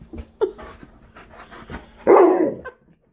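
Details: A male Alaskan Malamute being told to wait during his birthday BarkBox unboxing lets out a brief yip, then a loud, rough, half-second vocal burst, with the owner speaking around it indoors.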